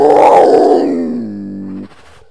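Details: Cougar (mountain lion), North America's biggest feline: a single loud, harmonic groaning call that starts rough and strong, then slides lower and fades into a steady low tone before stopping abruptly.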